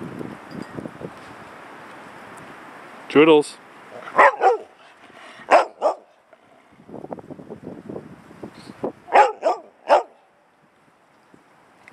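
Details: Labradoodles Joodles and Enzo playing over a squeaky ball; sharp barks in short bursts, some doubled, at about three, four, five-and-a-half and nine to ten seconds, with a person talking between them.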